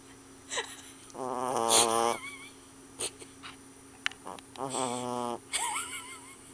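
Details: Sleeping puppy snoring: two drawn-out buzzy, rasping snores of about a second each, separated by quiet breaths, with short thin whistling squeaks rising and falling between and after them.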